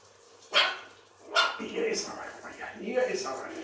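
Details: Pekingese puppies eating and playing indoors; two short, sharp high yaps come close together near the start, followed by a person talking over soft background rustling.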